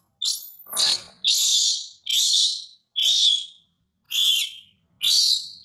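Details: Baby monkey screaming during weaning by her mother: six loud, shrill cries roughly once per second, the first opening with a sharp upward sweep, the rest harsh and strained with short silent gaps between.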